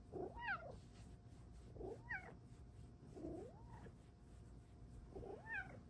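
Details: A female Bengal cat, spoken to about cuddles and belly rubs, gives four drawn-out meows, each rising then falling, about every one and a half seconds.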